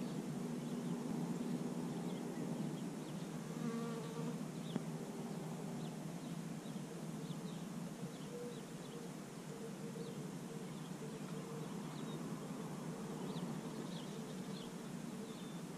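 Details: Bee collecting pollen on dandelions in early spring, a steady low droning buzz with wavering harmonics throughout, brief tonal hum near four seconds, faint high ticking in the background.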